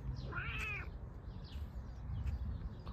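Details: Bengal cat outdoors in a garden with freshly mown grass: one clear, arched meow rising then falling in pitch, lasting about half a second, followed by low background rumble and faint outdoor noise.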